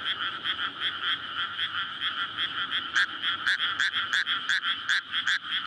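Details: Courting frogs in a flooded May rice paddy at night. Rapid overlapping croaks pulse continuously, and from midway a nearer frog adds louder, sharper croaks about twice a second above the chorus.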